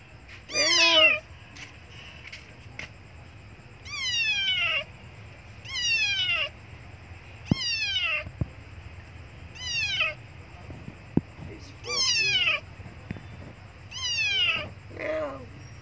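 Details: A tiny, young abandoned kitten near a Buddhist monastery meows loudly and repeatedly for milk, each high cry sliding downward, about every two seconds.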